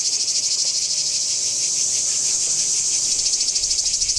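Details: At Kardamyli in 2013, singing cicadas give a harsh, sizzling, continuous buzz with quick rhythmic throbbing that grows slightly more uneven midway, over a quiet background.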